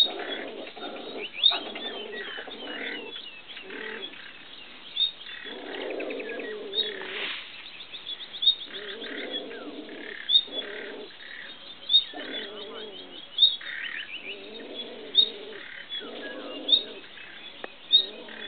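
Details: A pair of beech martens mating along a riverbank in Madrid's region, Spain, on 15 July 2012, give a long series of throaty, harmonic chuckling bursts. Crisp high-pitched chirps punctuate the sequence every second or two.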